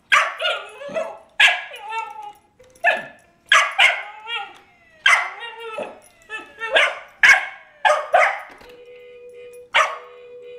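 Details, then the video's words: Scamp, a pet Cairn Terrier, raging at a baby toy car; loud, ringing barks in irregular bursts, some with whining tonal tails, and a steady mechanical hum near the end. "Scamp Road Rage"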